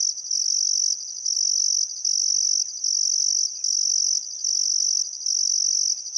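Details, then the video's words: At sunset by the Barcoo River in Welford National Park, Outback Queensland, crickets sing on a still summer afternoon, a shrill continuous trill broken by brief regular pauses under a second long. "Australian Sunset Chirping Crickets"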